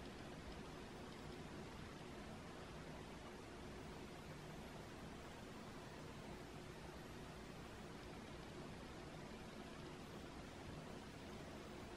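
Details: Steady broadband hiss like rushing water or wind noise throughout, with no animal calls.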